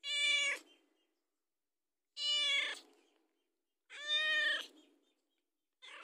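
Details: Hungry domestic cat begging for food: three strong, bright meows roughly every two seconds, each with a slight rise then fall, plus the start of a fourth at the end.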